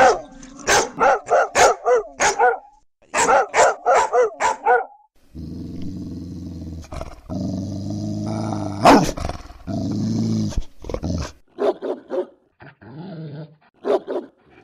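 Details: German Shepherd. A German Shepherd gives rapid runs of deep, punchy barks, several each second. A sustained low, throaty growl fills the middle stretch before the barking resumes in shorter bursts.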